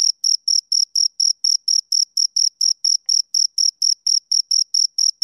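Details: Close chirping of two crickets, shrill short pulses spaced slightly wider here, a little over three per second, metronome-like and uniform, with a clean silent background.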